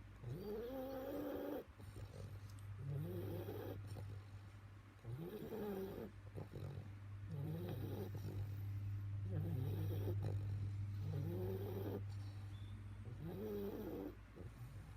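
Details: A sleeping Bulldog snores in wheezy, rising nasal rasps, each breath cycle returning roughly every two seconds over a steady low hum.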